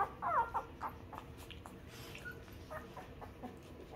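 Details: Two-week-old newborn puppies nursing on their mother's milk and being cleaned by her: a quick cluster of short, high squeaky whimpers in the first half second, then soft rustling and faint clicks.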